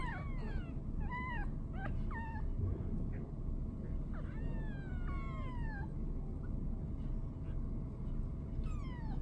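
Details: Five-day-old kittens beside mother cat Boo, 2019 round-up: thin mews that sweep downward, several quick ones early, then longer sliding cries, a last one near the end, over low background hum.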